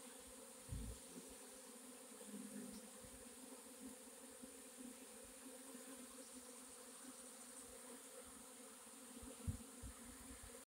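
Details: Honey bee swarm, 4/26/21: a continuous droning hum of many bees with steady tonal bands, a couple of brief louder passes and soft bumps.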